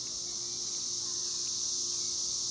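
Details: Chicharras, cicadas, droning in a steady, unbroken high-pitched hiss that holds the same level throughout, with faint low background noise beneath.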